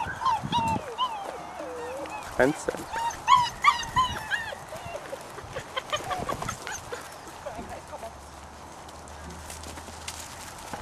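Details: Puppies playing, letting out high whiny whimpers and squeaky yelps in quick bursts, dense through the first half then thinning out, with a person speaking German in the background.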